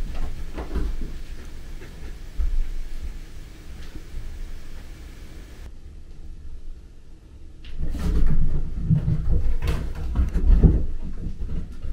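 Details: Indoor thumps and sliding, door-like knocks over a low rumble, with a quiet stretch in the middle and no animal voice.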